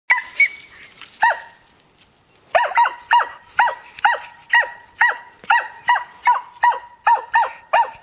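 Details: A Segugio Maremmano hound gives a bay bark ("abbaio a fermo") in a quick, steady series of sharp, ringing yelps.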